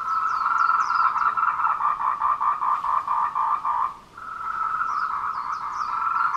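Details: Tree frogs calling in courtship at 14:00 on 26 April 2018, Wulong trail, Meiling, Nanxi, Tainan, recorded with a Canon PowerShot SX720HS: dense rapid croaking chorus, about four pulses per second, briefly dropping near the fourth second, with faint high chirps above.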